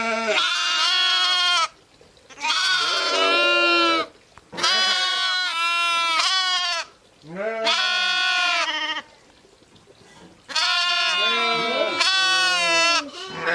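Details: Ewes and lambs bleating in turn: a steady series of long, quavering, harmonic-rich bleats, some deeper and some higher-pitched, separated by short pauses, about five calls in under fourteen seconds.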